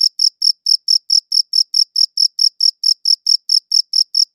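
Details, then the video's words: A cricket chirps in crisp repeated bursts, roughly four per second, sharp and high with a thin overtone above, evenly spaced against silence. "Cricket Chirping Sounds"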